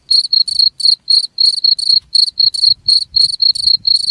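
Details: Cricket chirping, offered as a sound to drive away rats: short buzzy pulses near a high pitch, about four per second, with faint higher overtones and no other sounds.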